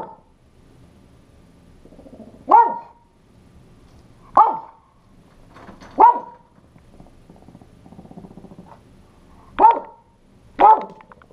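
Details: A male Pekingese guarding his house against an intruder barks in sharp, high single yaps spaced a couple of seconds apart.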